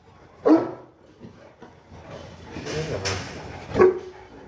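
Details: Boerboel (South African Mastiff) kept as a pet in Egypt, during its weekly bath: two short, sharp barks, one near the start and one near the end, with a soft hissing wash of sound between them.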